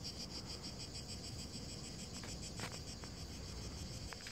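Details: Cicadas on dry grass in hot weather in the province of Verona, Italy, on 23 June 2017, keep up a high, steady, pulsing chirr, with a low rumble of wind beneath.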